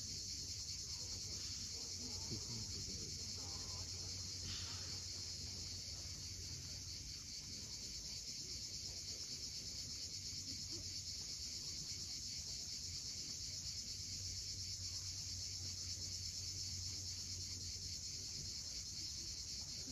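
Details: A continuous shrill buzz from a sunset cicada chorus fills the air above the cliffs of Cape Fiolent in Crimea. It holds even and unwavering throughout, with a soft wash of waves underneath.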